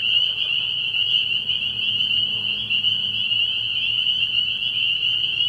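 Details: Spring peepers calling at night from a frog pond early in the year: a dense, unbroken chorus of high, shrill peeps merging into one steady ringing band, with faint low murmurs beneath.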